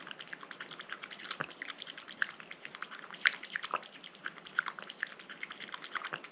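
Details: Rangi the cat eating a liquid treat, with close, wet lapping and smacking clicks coming in a rapid, irregular stream throughout, plus a few sharper drips and pops over a quiet background.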